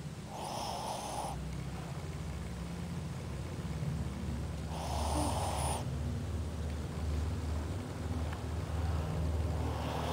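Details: Shih Tzu named Ozzy asleep with open eyes, giving two rough snoring breaths roughly four and a half seconds apart over a steady low rumble.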